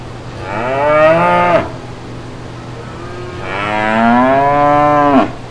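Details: Brown cows out in green pasture with their calves: two drawn-out, deep, harmonic-rich cow moos, each over a second, swelling and rising slightly before a sharp, strained upward break and cut-off, over a faint steady hum.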